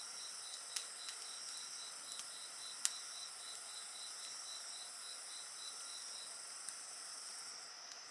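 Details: Insect chorus beside a crackling bonfire, a fast beaded chirping pulse over sustained shrill high tones, broken by several sharp pops and snaps from the fire.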